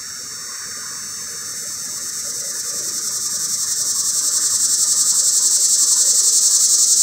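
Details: Cicada giving its mating call from high in a pear tree: a loud, harsh, hissing buzz that swells steadily in volume, with a fast regular pulsing of about four beats a second throughout.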